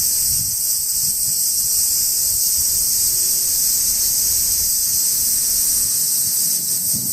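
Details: Summer insects singing in trees in Japan on a hot day; a steady, high, shimmering drone without a break.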